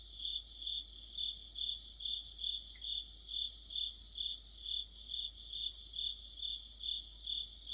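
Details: Crickets singing together in mid-autumn, an even, high-pitched pulsed chirp about twice per second with a faint second insect trill woven above it and one brief soft chirp midway.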